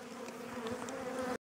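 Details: Aggressive honey bees around an opened hive during an April inspection while requeening is under way: a dense, even buzzing drone holds steady, then cuts off abruptly.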